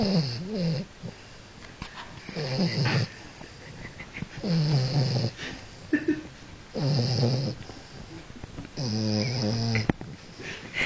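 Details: Sleeping French Bulldog in a wig, resting after an agitated night, snores loudly and regularly, about five rough, wheezy, harmonic snores roughly every two seconds, alternating with softer snuffling inhalations in a small indoor room.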